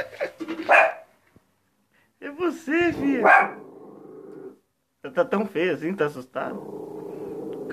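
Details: Restless female shih tzu indoors, barking in excited bursts: clusters of arched, ringing barks separated by pauses, each burst trailing into a low rumbling growl, with a person coaxing her in Portuguese.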